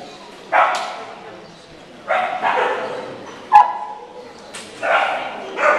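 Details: Samoyed at a dog show, going reserve of group with its owner handler; loud sharp barks in spaced bursts roughly every one and a half seconds, with a quiet indoor background.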